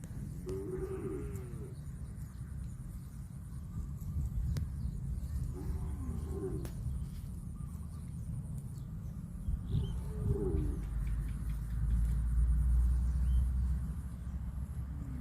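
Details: Brown cow grazing on grass in a field, giving three short, low, wavering moos spaced about four to five seconds apart over a steady, heavy outdoor rumble like wind.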